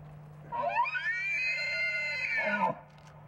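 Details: Bull elk bugle in mating season: a whistle that climbs, holds a bright, harmonic-rich tone for nearly two seconds, then drops away, over a steady low electrical hum.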